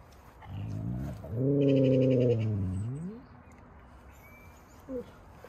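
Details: Alaskan Malamute "speaking": a low, wavering, harmonic howl-like vocalization of about two and a half seconds that swells, holds, then bends upward at the end, with a brief short yelp afterwards over quiet background noise.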